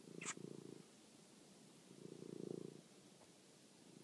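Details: Pet cat Toby, hunting a mouse at night, filmed on a phone; two steady low purr phrases of under a second each, separated by a quiet pause, with one sharp click at the start.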